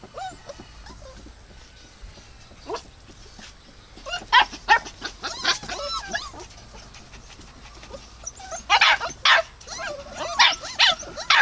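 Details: Dogs giving high, sharp yelps and whimpering squeals in quick irregular bursts, with quieter stretches between and a steady faint hiss in the background.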